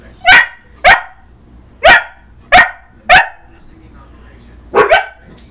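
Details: House dog confronting its own reflection with a rapid string of five harsh barks, roughly half a second apart, then a short pause and a final doubled bark.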